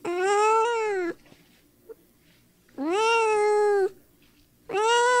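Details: Three sustained, steady cat meows about a second each, bright and harmonic, separated by quiet gaps with faint room background; cat sounds intended to excite dogs.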